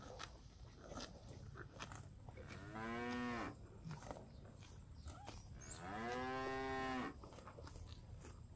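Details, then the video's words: Cattle wandering a fresh grass park while eating: two long, rising-then-falling moos about three seconds apart, each roughly a second long, over a steady low background rumble and light clicking. "Suara Sapi Lembu Makan Rumput"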